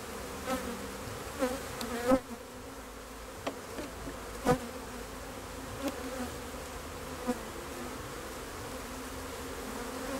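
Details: Honey bee hum holding a steady low pitch, broken by several sharp, short buzzing bursts and clicks spaced a second or two apart.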